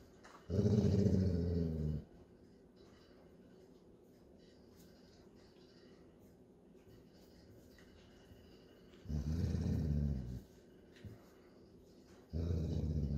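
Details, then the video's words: Low growls from a Golden Retriever dad correcting his high-strung puppy daughter when play must end, indoors; three short rumbling bursts spaced several seconds apart, with quiet between. "Golden Retriever Dad Tells Daughter Playtime is Over"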